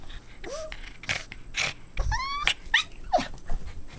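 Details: Playing Boston Terrier puppies let out a quick run of whines and yelps, some sliding upward and others dropping sharply, each separated by brief noisy scuffles.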